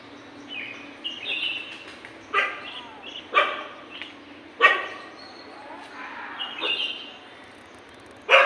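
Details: Dogs fighting in the morning, heard as sparse, loud single barks every second or so, with thin whistled notes in between over a low background hiss.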